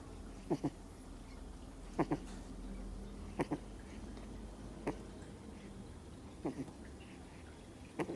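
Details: Sleeping Miniature Schnauzer puppy, two months old, snoring in brief paired snorts spaced about a second and a half apart, quiet and regular against a faint low background drone.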